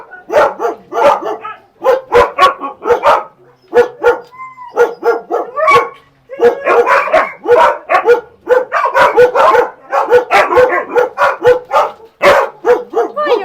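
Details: Siberian Husky named Max gives a long run of short, harmonic barks and yips in quick bursts, some clustered rapidly and others separated by brief pauses, with a few drawn-out whining notes near the middle.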